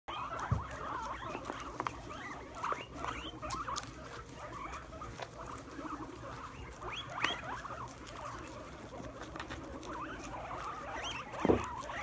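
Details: Several guinea pigs, excited by a plate of sprouts on the ground, gather and munch; scattered short rising squeaks over steady chewing and rustling patter, with a couple of louder thumps.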